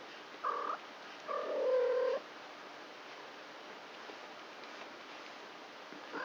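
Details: Playful indoor kittens, three weeks old and four in the litter, filmed at night: two thin, tonal mews, the first brief and high, the second longer, lower and wavering, then quiet rustling.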